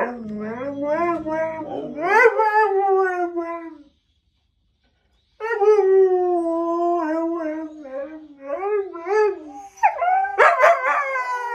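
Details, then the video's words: Siberian Husky howling and grumbling in wavering, harmonic-rich phrases sliding up and down, with a brief silent gap before a long falling howl and sharp rising yips at the end. "N.O. Means Y.E.S in husky"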